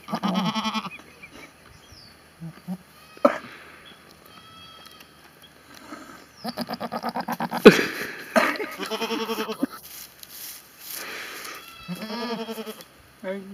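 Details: Goat bleating in several wavering, nasal bursts of about a second each, separated by quieter gaps with faint rustling and knocks.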